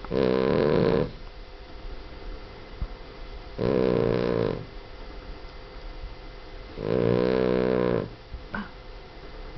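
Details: Loud snoring from a sleeping pet Boston Terrier: three long, harsh, rattling snores, each about a second long, spaced roughly three seconds apart. Quiet gaps fall between them, and a faint click comes near the end.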